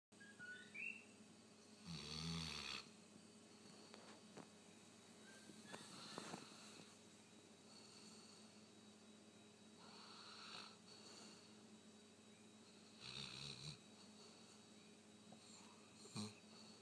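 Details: Rottweiler (Canis familiaris), snoring.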